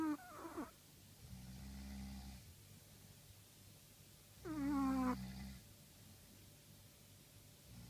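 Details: Chihuahua snoring in its sleep, with a squeaky descending nasal whistle followed by a low buzzing drone. The cycle comes round about every three to four seconds against a quiet background.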